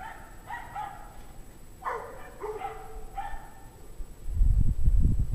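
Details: Pack of dogs barking on a January evening at 5:00 PM, 17 degrees Fahrenheit, in 2009: a string of short, ringing barks in uneven bursts, then a deep rumbling noise near the end.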